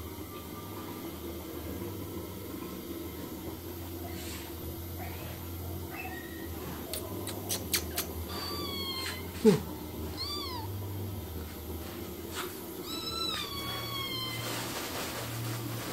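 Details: Cats or kittens indoors giving a few scattered, short, curved meows after a long quiet stretch, with some light tapping and a steady low hum underneath.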